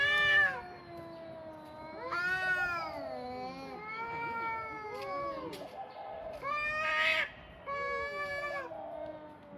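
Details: Pair of cats calling back and forth with a string of long, bending meows, often overlapping, some rising and falling like a moaning wail.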